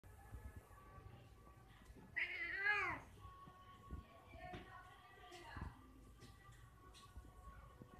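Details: Male cat calling a female: one loud, drawn-out, wavering meow that rises and then falls, followed by fainter short sounds against quiet indoor background noise.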